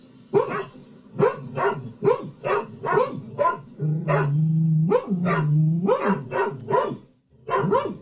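Two dogs give short, sharp alarm barks in quick succession, separated by brief breaths, one voice deeper than the other.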